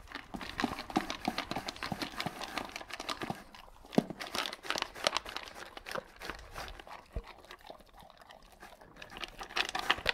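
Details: Dog indoors wolfing down dry kibble without chewing: dense, irregular clicking and crunching bursts of kibble and bowl noise in a small room, loudness rising and falling in quick clusters, with no barking or other voices.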